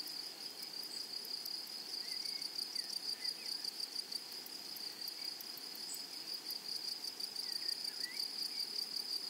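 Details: Grasshoppers in a flowery meadow or prairie: a steady high shrill drone with a faster ticking pulse above it, unbroken throughout. Faint short bird chirps slide in now and then.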